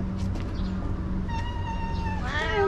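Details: Angry feral cat in a park in Japan, growling in threat after being forced out of a waiting room at six o'clock; a low steady growl rises into a strained meow-like wail at the end, with a woman talking over it.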